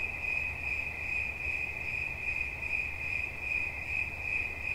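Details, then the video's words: High, even cricket chirping in quick pulses that swell and fade slightly every fraction of a second, with a low rumble running beneath. "Świerszcz. Dźwięki relaksacyjne"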